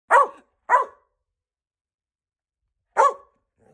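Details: A rescued Border Collie mix gives its first barks while learning the "speak" command: three short, sharp barks, two close together and one after a pause.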